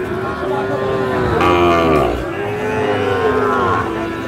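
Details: Sahiwal bull calves at a cattle market on 14 October 2024, bought by a farmer from Dhaka: long harmonic moos, one swelling and bending midway, then a second steadier moo, over a murmuring crowd.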